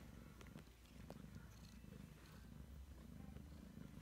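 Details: Purring from Ragdoll mother Heather and her three-week-old kittens, a deep, even throbbing rumble that holds for the whole stretch, with light scratchy rustles over the top.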